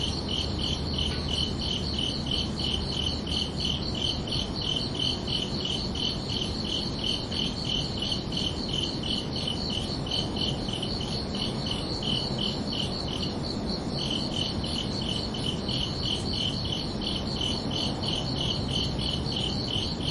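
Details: Night-time cricket chorus from summer evenings, with even, high-pitched chirps pulsing rapidly. The chirps break off briefly around thirteen seconds before the rhythm resumes, set against a faint broadband hum.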